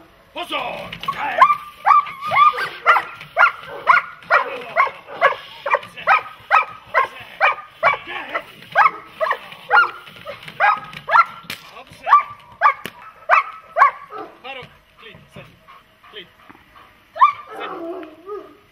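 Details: German Shepherd or Malinois dog during protection training barking steadily, about two sharp barks per second for some fifteen seconds, a few dropped beats, then slowing, with a lower growling bark near the end.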